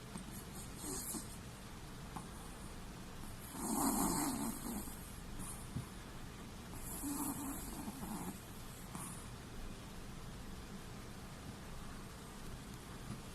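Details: Sleeping Chihuahua with its eyes rolled back to the whites, snoring in soft breathy rasps; two louder snores near four and seven seconds stand out over steady low room hum.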